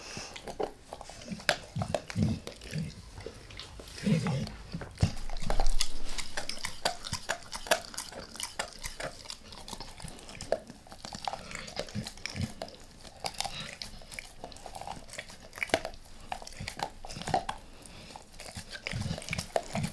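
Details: Max, a dog, goes after a beef rib, lightly at first and then all in, close-miked for ASMR: a steady stream of small clicking bites and crunches with occasional louder gnawing bursts.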